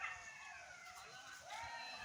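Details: Many golden jackals howl in wavering, siren-like wails that slide down and rise again beside a village pond and bamboo grove near a river, with a man talking over them; one jackal crosses the pond.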